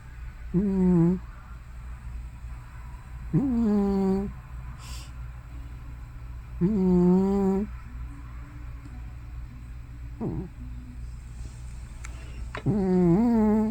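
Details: Hana, a grandmotherly cat of probably more than 15 years, snores or sleep-talks loudly. Four wavering, moaning tones of about one second each come at uneven intervals, with faint clicks and a low background hum between them.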